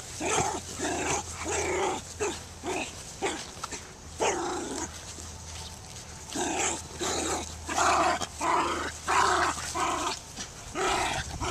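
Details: Dogs barking rapidly and irregularly, about ninety barks a minute, harmonic and loud, with a low steady hum beneath.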